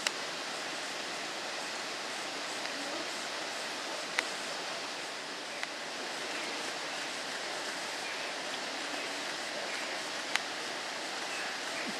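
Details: Steady rushing water fills the recording, broken by a few sharp clicks, with no animal calls heard.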